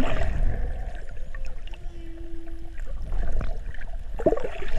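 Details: Curious humpback whale cruising past swimmers among dolphins in 50 feet of water: one steady, level tonal moan of about a second, set over dense low underwater rumble and splashing, with a brief higher squeal near the end.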